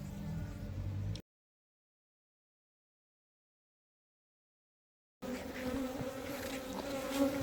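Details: Honey bees around a bait hive box for catching wild colonies: a continuous droning hum of many wings, cut off by a few seconds of total silence before the buzzing resumes louder.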